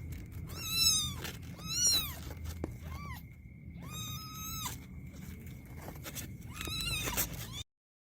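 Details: Fighting kittens letting out high, thin squealing mews in bursts about once a second, each rising and falling, with a faint steady whine and soft rustling underneath.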